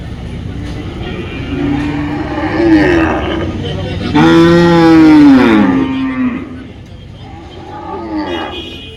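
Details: Cows at the Friday cattle market in Dhaniakhali: two drawn-out moos, the second louder and longer with a falling close, followed by fainter lowing against a background of crowd and traffic noise.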